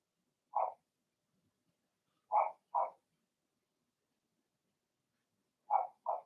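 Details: Blenheim Cavalier King Charles Spaniel puppies from Remy's first litter of six (two girls, four boys, born March 7–8) in an indoor puppy pen: a single short high yip, then two quick pairs of yappy barks, otherwise silent.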